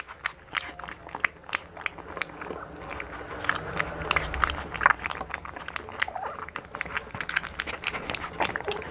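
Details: Hunter, a blue American Bully puppy one month old from the Philippines, chewing and crunching food indoors: sharp biting clicks and smacking, repeated rapidly and growing busier toward the middle, with faint low room rumble.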